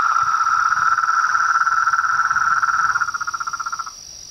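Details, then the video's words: Frogs calling at dusk beside a pond in front of a house veranda: a loud, fast pulsed trill holds steady for about three seconds, then slows into separate pulses and fades, over a constant high insect drone. "A SINFONIA DOS SAPOS, RÃS E PERERECAS"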